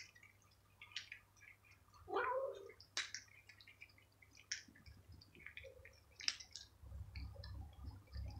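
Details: A feral stray cat being fed crunchies lets out one short meow partway through, surrounded by scattered clicks, rustling and a faint low hum.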